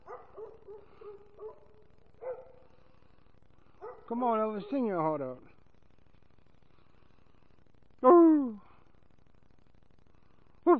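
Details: American Foxhound named Sammy singing along with his owner, giving a long wavering falling howl around four seconds, then a sharp descending yelp-like howl near eight seconds, with soft vocal sounds between.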